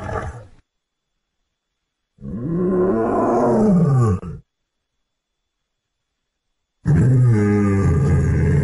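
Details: Lions in Luangwa Valley, Zambia, with a family eating and playing. A deep, rough roar with an arching low tone lasts about two seconds, then after a silence a second long, harsh roar begins.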